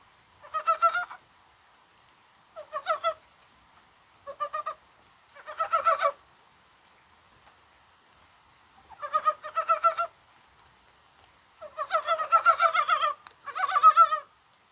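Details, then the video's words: Mountain frogs croaking in the rain on a spring-like January 21; repeated clear bursts of quick, stuttering, pulsed notes, some short and some drawn out to two seconds, arriving every one to three seconds against a quiet background. "개구리가 울어요"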